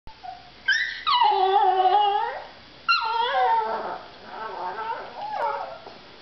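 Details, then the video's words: Two small pet dogs, a Russian Toy Terrier and a Papillon, begging at dinner: long harmonic whining howls, first rising then sliding down and holding, a second drawn-out wavering whine, then softer quavering whimpers trailing off indoors. "Natasha, Russian Toy Terrier, and Soxie Sue, Papillon, begging for my dinner."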